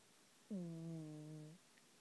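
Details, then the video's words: One snore from Matilda the cat, a low humming drone of about one second that dips briefly at its start, then holds level before ending with a small upward lift. Quiet room otherwise. "Matilda snoring"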